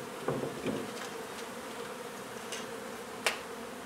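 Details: Honey bees during removal of a hive from an old home under renovation in Donna, Texas: a steady droning hum runs throughout, broken by a few sharp clicks and scrapes.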